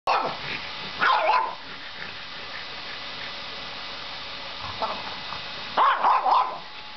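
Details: French Bulldog, 1.5 years old, barking at a running vacuum cleaner indoors: short harsh barks in bursts near the start, at one second, and a double bark near six seconds, over a steady vacuum drone.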